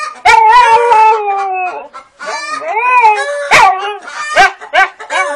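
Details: Siberian husky 'conversing' with chickens, giving drawn-out, warbling yodel-like moans that bend up and down, followed by shorter choppy whines and yips, with a few sharp percussive clicks.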